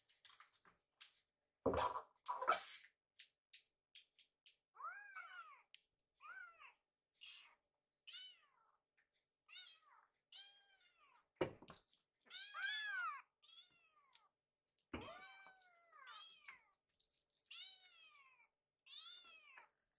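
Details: Rescued baby kittens waiting hungrily in a kitchen for their meal give repeated short arched meows, several voices alternating, with a few sharp clattering knocks in between.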